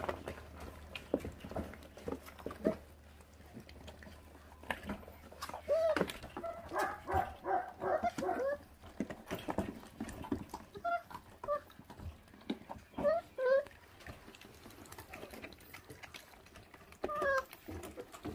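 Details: A feral dog puppy growls while it eats, its mother having left her litter uncared for. A rapid string of pulsed, grinding growls starts near six seconds, and thin whining notes follow later, over a steady low hum.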